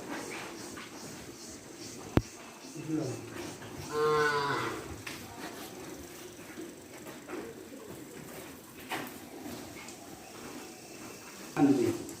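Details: Cattle at a cow farm. A single short moo sounds midway through a long, noisy stretch, with a click early on and scattered shed noise and voices around it.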